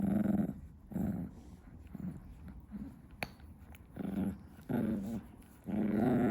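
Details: Tiny female Chihuahua in a room at 2 AM, absorbed in chewing her favourite stick. Low, rough growls come in short bursts about once a second, with quieter chewing sounds between them.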